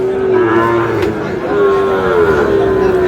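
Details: Sahiwal bull calf moo at Aftabganj market in Dinajpur, 4 August, as buying and selling begins: a long, steady, low tonal bellow with a break after a second, then resuming level and drawn out, over crowd and vehicle noise.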